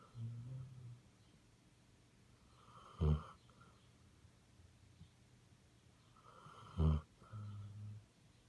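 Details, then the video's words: Basset Hound asleep in a quiet room, giving soft wheezy breaths broken by two sharp, loud snorts about four seconds apart, each followed by a gentle rumbling exhale. "Snoring Basset Hound"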